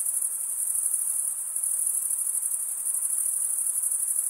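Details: Chirping crickets, the males rubbing serrated wing veins together, produce a steady piercing high trill without pauses, layered over soft diffuse noise.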